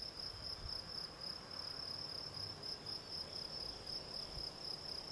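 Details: Gryllus campestris, the field cricket, producing fast repeated high-pitched chirps in an even rhythm, roughly four per second, over quiet low background noise.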